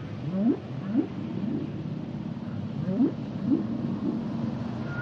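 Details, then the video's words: Singing humpback whales produce short rising upsweeps in quick succession, grouped in pairs and triplets across five seconds, against a low ocean rumble. "Sounds and Songs Of The Humpback Whales"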